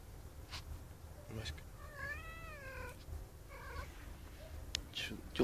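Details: Male cat calling for a female, giving one long arching meow that rises and falls, then a shorter second meow, over steady low hum with occasional clicks and a few spoken words.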